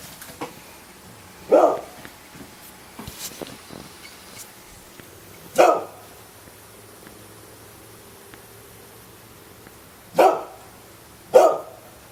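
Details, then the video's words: Pet dog barking indoors after being urged on, single sharp barks spaced irregularly, four clear ones over about twelve seconds with quiet room noise and faint clicks between. "my dog likes to bark"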